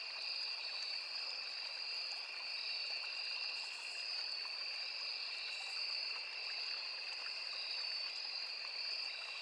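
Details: Riverside forest at full insect chorus, crickets alongside cicadas and other insects: an unwavering high ringing trill in two tones, a couple of faint higher buzzes, and a quietly flowing small stream.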